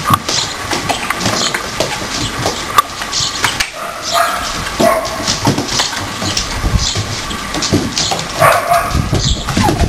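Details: Four-week-old Siberian Husky pups play fighting with their siblings: dense, scrappy growls and little yelps overlap throughout, with scuffling noise and a few sharp clicks.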